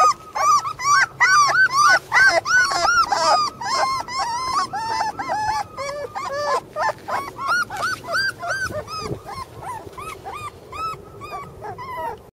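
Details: Young Border Collie brothers keep up a long run of piercing, arched whines, loudest and densest at first, then thinning to softer, spaced whimpers, with overlapping voices throughout.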